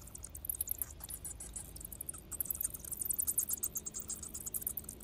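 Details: Bats streaming out of a cave to feed: dense, shrill, very high chittering squeaks in uneven bursts, thickest toward the end, over a steady low rumble.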